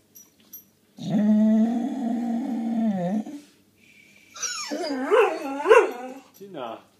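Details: Doberman reacting to a pigeon: a loud, steady, low droning growl-whine held about two seconds, then a series of rising-and-falling whining yelps, with a person speaking French softly in between.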